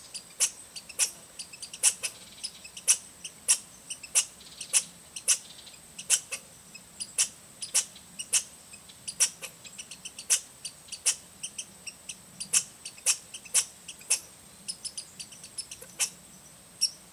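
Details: An American red squirrel at Rydell NWR, Minnesota, on 10 August 2010 gives a scolding chatter of sharp, high chips, about twice a second in an uneven series, with peculiar bass undertones embedded.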